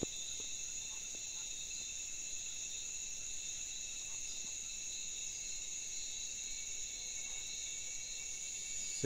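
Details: Cicadas in rural Honduras at about 6 pm, nightfall approaching, far from traffic noise near an oropendola nest: a steady, shrill chorus drones without pause in several high buzzing bands, with a faint voice and soft clicks underneath.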